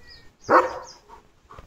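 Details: Leo, a pet German Shepherd, on the day of his bath, lets out one loud, short, rough bark of about half a second, followed by two faint, softer yelps; Marathi speech surrounds it.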